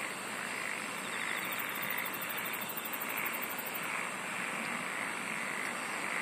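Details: Dense insect chorus of steady high shrilling, a long stretch of very high rapid trilling in the first half, and a lower pulse repeating roughly every second underneath.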